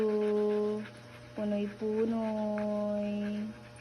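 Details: A pet Siberian Husky indoors gives long, steady, whining howl-like tones, held for about a second, then broken by two short rising notes before a long sustained note, over a faint constant hum.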